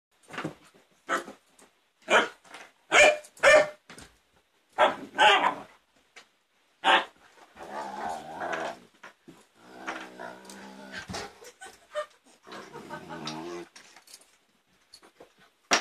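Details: Siberian Husky puppy named Varg playing with his older brother indoors; sharp, irregular barks in bursts over the first seven seconds, then rough, grumbling play growls and whines through the rest, in a small room.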